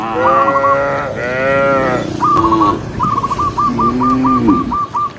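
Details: Cows herded along a forest road in the morning, moving together: a few long, wavering moos, one deep and sliding, with a quick series of about eight staccato trilled notes near the end.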